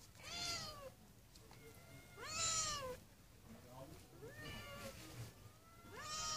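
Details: Stray cats in a garden, living freely on the streets; repeated meows about every two seconds, each bending up then down, some loud and bright, others softer, with quiet background noise.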